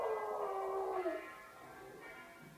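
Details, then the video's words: A female American Eskimo (Spitz) dog sings along with bells, giving a long, wavering howl that dips at the end while bells ring faintly. "American Eskimo / Spitz dog is singing along with bells"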